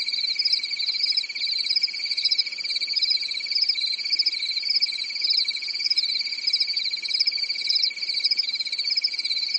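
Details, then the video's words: European forest at night in summer, crickets chirping steadily; a high, uninterrupted insect trill with rhythmic rippling in the upper layer and a constant lower band, calm and without other noises. "Grillen zirpen in der Nacht"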